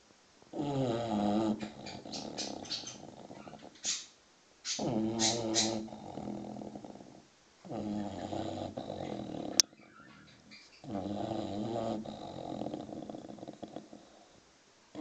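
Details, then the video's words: Six-month-old English bulldog puppy asleep and snoring: four long, harsh, throaty rasping breaths with brief silences between them, one sharp click, and a few thin high bird chirps near the start, which the puppy ignores. "Snoring bulldog (6 months old)"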